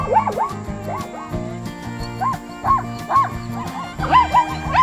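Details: Zebra, a wild African equid, calling in a series of high, arched yelping barks that rise and fall quickly, repeated several times in quick bursts over steady background music.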